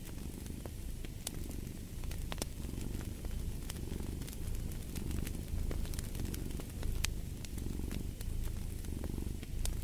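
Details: Domestic cat purring by a fireplace, a deep continuous rumble pulsing in slow breaths, over sharp snapping crackles from the fire.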